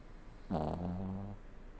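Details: Sleeping Toy Poodle, seven years old, giving a short low snore indoors: a brief louder onset that settles into a soft steady drone of under a second before fading into a quiet room.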